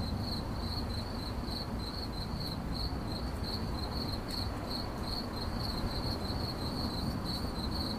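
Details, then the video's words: High, rhythmic cricket chirps pulse steadily through the whole stretch, bright and clear above a soft, low rumble and faint hiss. "CRICKET CHIRPING"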